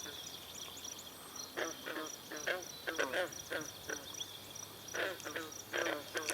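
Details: Green frogs calling in chorus at a pond at Brillion Nature Center, where swallows are drinking. Short, twangy croaks overlap in loose clusters. Faint high chirps run above them.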